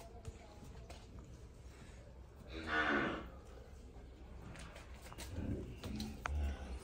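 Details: Calves (cow babies) enjoying themselves give one clear, drawn-out harmonic moo that swells and fades in under a second, followed later by a few shorter, fainter lowing sounds over steady background noise.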